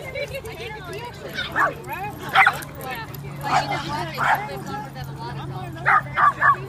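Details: Playing Basenjis at a dog park in January 2014, including Ginger Snap and friends, give loud, warbling, bending yelps in clusters, the last a rapid triple, over a steady low hum and background chatter.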